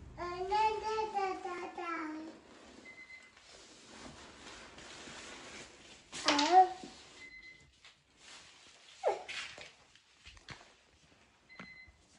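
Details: Norwegian Forest Cat coming to meet its owner as they arrive home, indoors; a long, drawn-out meow wavers in pitch for about two seconds, then a shorter, sharper meow follows, with soft rustling and a brief squeak afterwards.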